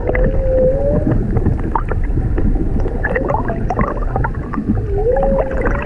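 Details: Humpback whales singing underwater off Maui near a mother and calf on a whale-watching trip: drawn-out, mournful tonal moans that rise gently, heard twice, over heavy gurgling water and boat rumble.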